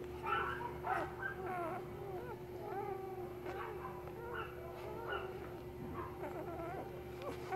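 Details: Great Pyrenees puppy at a pet shop in Nara, Japan, giving thin, wavering whines, bent and rising then falling, about every half second to second, over a steady low hum.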